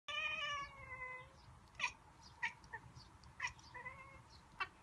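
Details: Pet cat vocalising at birds seen out a window, a sound likened to a monkey: a drawn-out, wavering harmonic cry in the first second, then sharp clicking chirps scattered every half second or so, quiet room background.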